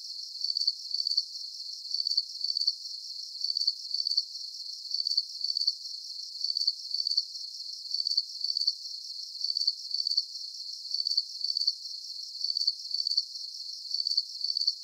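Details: Steady cricket chirping: crisp, very high trill bursts repeating about twice a second with near-metronomic regularity, over faint hiss and with no other animals heard.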